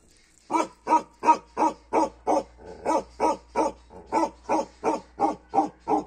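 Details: After half a second of quiet, a Kashmiri Bakharwal dog launches into fast repeated barking, about fifteen deep, coarse woofs, nearly three per second, evenly spaced with a brief softer stretch midway.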